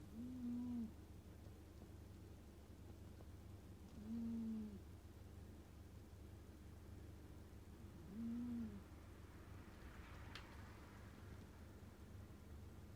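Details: Scottish Fold cat snoring: a low, hum-like tonal snore that comes three times, roughly every four seconds, each lasting under a second, over a steady low background hum.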